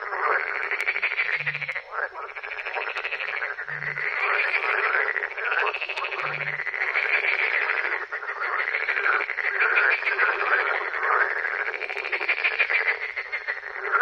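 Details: Frog. Many frogs croak together in a thick, rasping chorus that rises and falls in rolling waves. A few short, deep tones break in below the chorus now and then.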